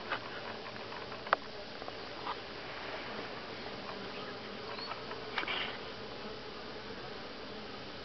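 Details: Honey bees at Grass Lake Sanctuary, week 6, recorded July 25 2011: a dense, steady buzzing hum with a mid-pitched band, broken by a few sharp clicks and ticks near the start and middle.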